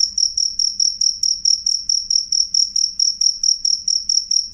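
A cricket gives loud, clear, high-pitched chirps, repeated steadily a little over twice per second.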